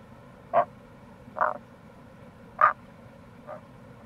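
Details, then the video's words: Tago's brown frog (Rana tagoi) calling in April near a gorge on the Kamo River, Itoshima, Fukuoka, Japan: four short croaks spaced about a second apart, the last faint, over a low steady stream rush. "Wild Frog Call | タゴガエル"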